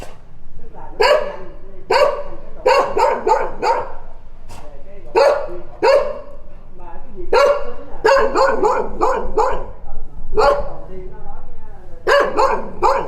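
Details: Dogs giving loud, rough barks over about thirteen seconds, some single and some in quick clusters of two to four, with irregular short gaps between them.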